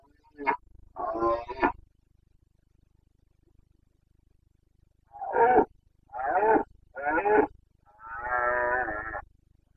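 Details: During the breeding season in Bucovina, 29 September 2022, a Carpathian red deer stag gives hoarse roars: two early bursts, then three short grunting roars and a long, drawn-out harmonic bellow.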